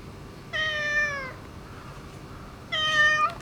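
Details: Boss ginger tabby cat, demanding affection after neutering: two loud, long harmonic meows, the first slowly falling, the second held level, separated by a short pause, with quiet steady background hum.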